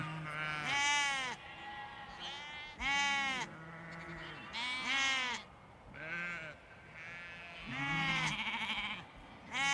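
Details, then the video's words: Large flock of sheep with lambs in a field, loud wavering bleats every one to two seconds, some deep adult calls and higher lamb calls overlapping, with several animals calling at once. "Large Flock Of Sheep and Lambs Bleating In Field"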